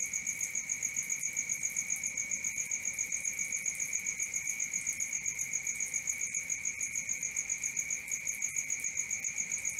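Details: Cricket chorus at night: an even, rapid pulsing of piercing high chirps, close to four a second, running continuously above a lower steady whining tone against faint hiss.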